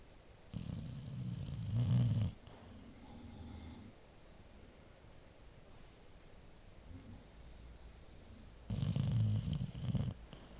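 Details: Elderly Labrador Retriever, 15 years and 2 months old, snoring while asleep indoors under a down lap blanket and anti-static blanket beside an open dog door; deep, low rumbling breaths, with loud snores at the start and end and softer ones between.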